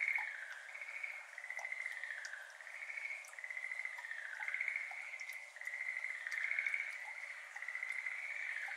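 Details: At a flooded iris garden on a May evening in 2022, Schlegel's green tree frogs, endemic to Japan, call from a distance. A soft, continuous rolling chorus of pulsed trills is heard, with occasional faint drips of water falling into the pond.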